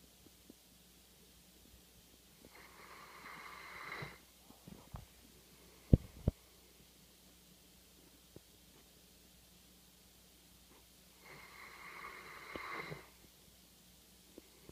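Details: Labrador Retriever service dog, male, sleeping after a day's work and snoring very loudly: two long, rasping, droning inhalations that swell in loudness, roughly nine seconds apart, with a couple of sharp knocks between them.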